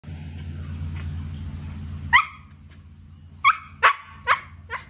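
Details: Siberian Husky giving five short, sharp yelping barks with a bent, rising-then-falling tone, spaced under a second apart after a quiet start, over a steady low indoor hum.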